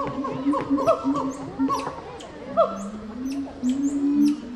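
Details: Gibbon hooting in short, rising, slightly wavering notes, several voices overlapping, with brief squeaky high chirps scattered above and a steady low murmur underneath.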